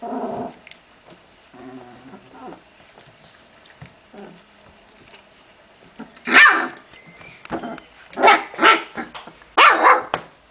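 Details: Puppies of Memphis-true Olga and Scarko de la Betoule playing: low grumbling growls early, then several loud sharp play barks in quick bursts toward the end, with scuffling between them.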